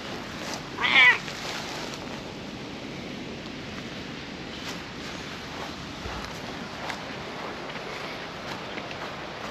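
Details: Cat among park stray cats on a lawn, where a calico was being petted and companion cats came over; one short high meow near the start, then steady outdoor background rustle and faint handling noises.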